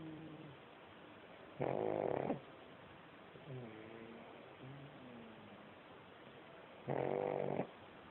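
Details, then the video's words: A pug asleep and snoring: two loud, rasping snorts about five seconds apart, each lasting under a second, with soft wheezy breathing between them. "Pug snoring !!!"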